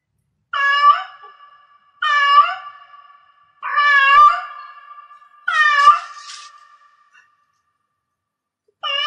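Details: Cat in heat meowing repeatedly, five short rising-falling harmonic calls roughly every one and a half to two seconds, each trailing into a faint lingering tone, indoors.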